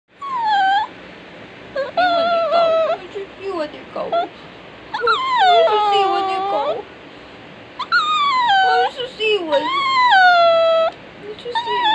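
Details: A crying dog gives a string of high, drawn-out whines that slide downward in pitch, some long and wavering, others short yelps, coming in separate bursts with brief quiet gaps between them in a small indoor space.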